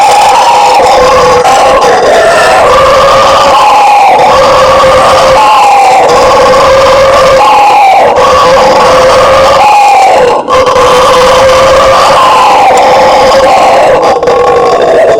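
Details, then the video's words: Howler monkey (bugio or guariba) of the Brazilian fauna roaring: a loud, continuous droning chorus with steady bands that dip and swell every couple of seconds over a harsh, rasping background, with no other sounds standing out. "SOM DO MACACO BUGIO, Barulho de Bugio!"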